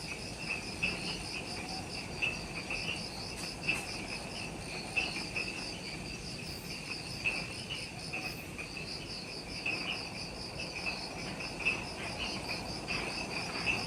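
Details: Insects in the Ishigaki Island forest of Okinawa, Japan, at dusk just after sunset: bright, rapidly pulsed high trilling in overlapping runs with a lower shrill band, broken by occasional sharp clicks or taps.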